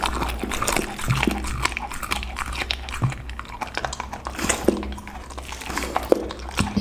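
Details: A pit bull dog crunches through a lunch of raw chicken, duck and cauliflower in a small room; sharp cracking bites and gnawing chews repeat steadily over a faint low hum.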